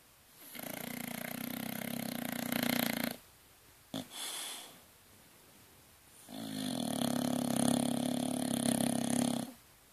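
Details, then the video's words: Sleeping Dorset bulldog Bronson producing two long, loud rattling snores of about three seconds each, with a brief soft snort between them; the buzz is coarse and fluttering with a faint whistling overtone. "Bronson the bulldog snoring"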